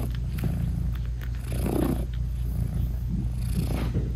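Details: A British Shorthair mother cat nursing her newborn kittens, whose eyes are still closed, purrs steadily in a deep, rumbling drone with a soft chirping meow.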